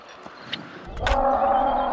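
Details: A cow at a mountain sheepfold farm in Bucovina, Romania, gives a steady, drawn-out moo with a rich harmonic tone after a moment of quiet, around 5:30 in the morning as the farm's day begins.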